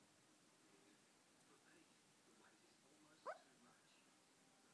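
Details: A female Shih Tzu lying on a sofa lets out one short squeak while dreaming, a quick upward-sliding yelp in an otherwise still, quiet room with only faint background hiss.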